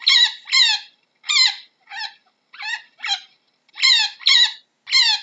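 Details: A chinchilla gives a quick series of high, squeaky, bark-like calls, each dropping slightly in pitch.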